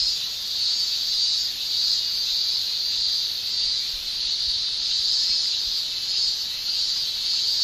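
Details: In a Japanese summer, massed cicadas keep up a continuous high-pitched shrilling, rising and dipping slowly in waves about once a second, with a slight lull near the second-and-a-half mark.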